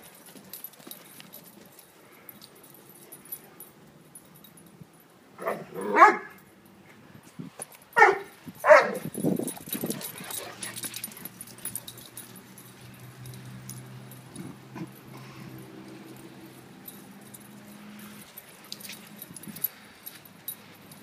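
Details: Great Dane puppies playing: a few short barks and yips in a quick cluster mid-clip, then quieter low rumbling growls and scuffling.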